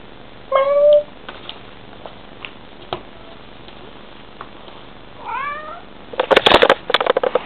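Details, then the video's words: Bengal cat mother talking to her kitten indoors: a clear tonal meow near 0.5 s, a softer falling chirp-like meow around 5.3 s, then bursts of clicking and rustling noise near the end. "bengal cat talking to her kitten"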